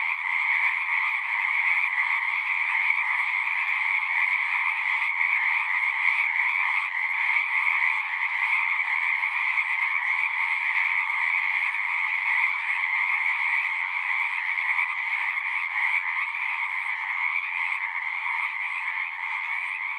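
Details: Many frogs sing at a pond in a horse pasture, recorded with a Zoom 6: an even, high, buzzing-trilling chorus that never pauses, individual pulses loosely repeating, fading slightly toward the end, with no other sounds.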